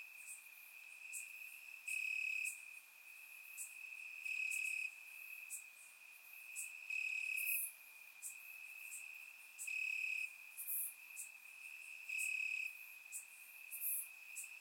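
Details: Crickets calling from grass on a warm summer night, Bulgaria, captured by surround microphone: constant high-pitched ringing trill, stronger chirp bursts roughly every two to three seconds, and scattered faint high ticks.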